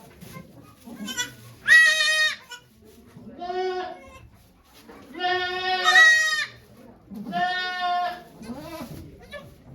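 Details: Goat named Okayu giving birth to two kids at Yoshigake goat farm, Japan, on 3 May 2023, watched by volunteers; four loud, harmonic, wavering bleats, each about a second long, with soft human voices between them.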